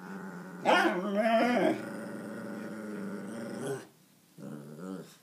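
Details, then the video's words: Seventeen-week-old Alaskan malamute puppy having a mood: a loud, drawn-out moaning grumble with a wavering, harmonic tone and growly edges for about three seconds, then a pause and a shorter second grumble. "17week old Alaskan malamute having a mood"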